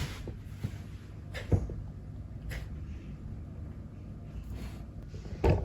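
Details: Quiet indoor room tone with several soft thumps and knocks, like a cupboard or door being moved.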